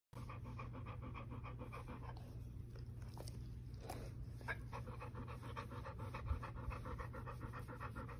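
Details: A spoiled male pup pants rhythmically while demanding petting and attention from his owner. The quick, breathy pulses run steadily through the recording over a constant low electrical hum.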